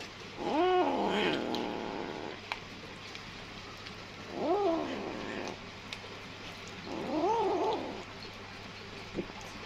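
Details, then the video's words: Small kitten eating fast out of strong hunger utters three rising-then-falling meows about three seconds apart, the first loudest, with quiet clicks and a low hum in between. "صوت القطة الصغيرة وهى تأكل بشراهة وبسرعة من شدة الجوع"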